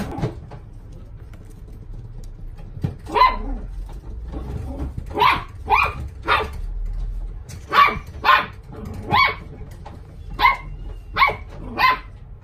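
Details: Young male mixed-breed dog, white and gold, born 8 June 2019, at a pet shop, giving a series of short sharp barks in irregular bursts of two or three, roughly a dozen over twelve seconds, with low background hum.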